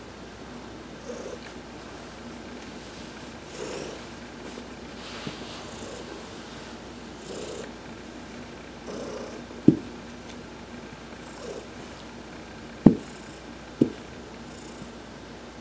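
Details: Heidi, an adopted pet cat, purrs while being massaged during a sun bath on November 19, 2020: a steady low rumbling purr that swells with each breath, broken by a few sharp clicks near the end.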